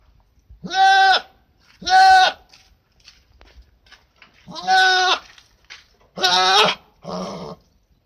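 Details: Goat at a school calls repeatedly, five nasal bleats over eight seconds, each short and buzzy, the last one lower and rougher, separated by quiet pauses with faint background noise.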